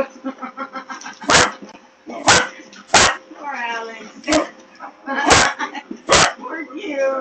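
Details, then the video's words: Excited female Basset Hound racing around a barn with the zoomies, giving loud abrupt barks about once a second between howling, wavering yelps, with other farm animals reacting nearby and a person laughing. "Basset Hound has Zoomies"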